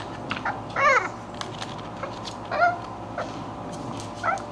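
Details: English Bulldog puppies at play give three short squealing, harmonic yelps that rise and fall, spaced roughly every one and a half seconds, over a low steady background hum.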